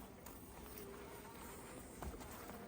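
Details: Honey bees swarming about an opened hive while frames are removed for honey: a steady, layered buzz with low and mid hum bands, plus a couple of soft taps.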